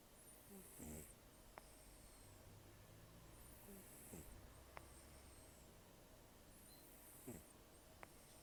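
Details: Elderly rescued cat, about 10 to 14 years old, with few teeth left after gum disease and a long life outside, snoring in sleep: three quiet, rattling inhalations spaced about three seconds apart, with faint hissy exhalations between.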